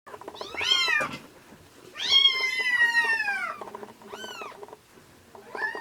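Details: Rescued kitten, found in late February at about 80 g and now in the late weaning stage, meowing while being bottle-fed milk indoors: three high, arched, harmonic-rich meows, the middle one long and falling, with faint background noise.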